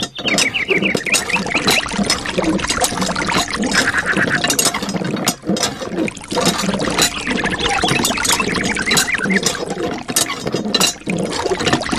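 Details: Continuous talking over splashing, running water with background music and mechanical clatter, and no animal voice anywhere.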